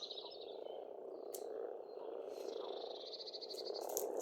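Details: Pond frogs in Estonia in spring croaking in a dense, slightly throbbing chorus that grows louder toward the end, with a bird's fast rattling trill and sharp chips above.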